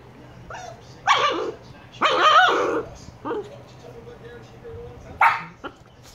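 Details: Two 118-day-old Shiba Inu puppies; three loud, harsh barks, the middle one longer and drawn out, with softer yips between and quiet background.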